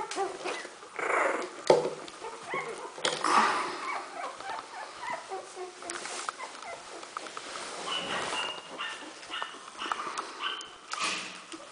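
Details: Smooth Fox Terrier puppies, fourteen days old, from a kennel litter; soft high whimpers and squeaks come in short scattered bursts amid rustling and handling noises, with faint voices at times.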